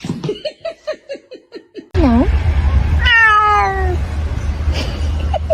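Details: Domestic cat giving a rapid run of about ten short, falling mews, then a dipping meow and a longer, smoothly descending meow, over a steady low hum.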